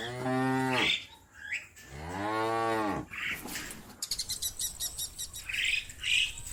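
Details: A cow in a herd calling the others to come home to the barn gives two long, deep moos that swell and fall, followed by bright bird chirps.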